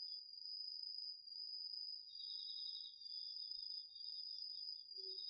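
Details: Garden-field crickets and other autumn insects at night, on a DR-40X recorder: a constant high trill dominates, and a lower beaded trill enters about halfway and continues to the end, with a faint dull knock near the close.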